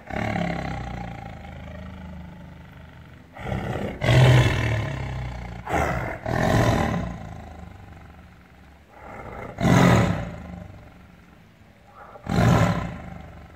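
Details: Tiger in captivity roaring in anger from its cage: an opening rumble, then a series of five loud, coarse, deep roars spaced a few seconds apart, separated by low growling.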